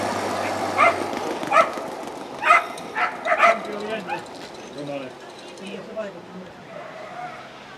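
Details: A whippet at the Turku Cup, heat 29, second timed run over 280 m, barks about five times in quick succession. The barks then stop and people can be heard talking quietly in the background.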